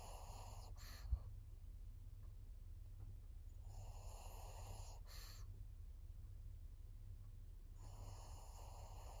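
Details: Senior fawn pug Maria, a 14-year-old female in Japan, filmed 22 September 2024, breathing noisily: rough, airy snore-like bursts about every four seconds over a low steady hum indoors.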